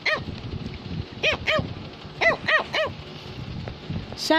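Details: Cavalier King Charles Spaniel barking to tell its owner something, a handful of short, high yaps in pairs after a quiet start, ending in a brief squeaky yelp, with faint music in the background.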